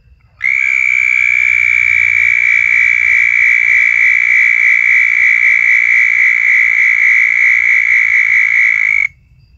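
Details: Southern toad (Anaxyrus terrestris) mating call, a long, steady, high-pitched trill lasting over eight seconds.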